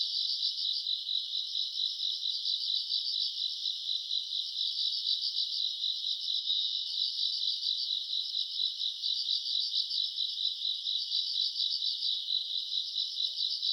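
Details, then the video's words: Grass insects on a summer night, recorded around August, keep up a continuous shrill chorus of quick rhythmic pulses, even and unbroken, with nothing else audible. "풀벌레 소리 가득한 밤"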